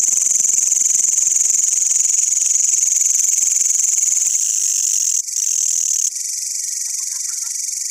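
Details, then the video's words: Green and brown long-horned grasshoppers call with a dense, continuous high-pitched buzzing trill that carries on without break, its tone shifting slightly twice near the end. "The green and brown long horned grasshoppers and there sound"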